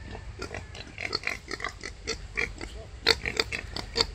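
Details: Birth of five wild boar piglets: quick clipped grunts mixed with thin, higher squeaks that come in uneven bursts, a few brighter squeals standing out toward the end.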